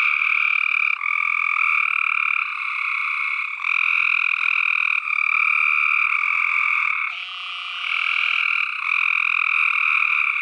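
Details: Chorusing tree frogs produce a continuous grating croak made of fast pulses, many voices overlapping, volume stepping up and down throughout, with a short thinner whistled note near seven seconds.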